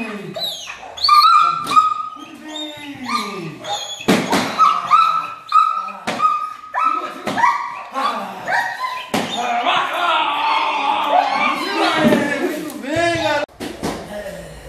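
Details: German Shepherd in early attack and protection training: scattered barks and whining yelps mixed with sharp knocks and human speech, rising into a dense burst of excited barking toward the end.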